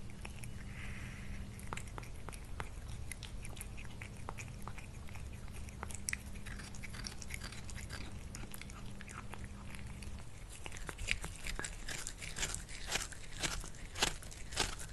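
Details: Lily the cat at lunch, chewing her food: irregular wet clicks and crunches roughly every half second, growing louder and sharper in the final seconds, with a low background hum.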